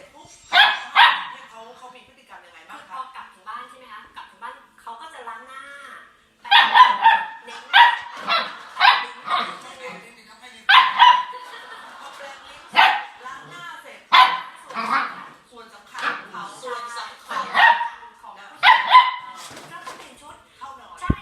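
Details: Border Collie giving loud, sharp barks in clustered bursts with brief whines and yips between them, volleys separated by pauses of one to two seconds.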